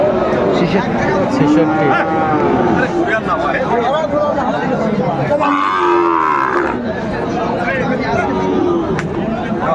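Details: Sahiwal cattle at a busy Kushtia cattle market, 16 January 2025, bull being bought; drawn-out lowing moo near the middle, with a few shorter moos, under steady crowd noise and bargaining voices.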